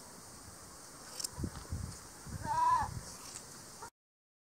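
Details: An Angora goat at Dillner Hillside Farm gives one brief, wavering bleat midway through shearing, among dull thumps and handling sounds. The recording then cuts to silence.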